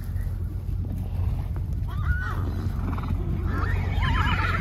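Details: Herd of wild horses at a protected wildlife preserve, running with thundering hooves. A deep continuous rumble of hoofbeats carries short rising neighs and a wavering, quavering whinny near the end.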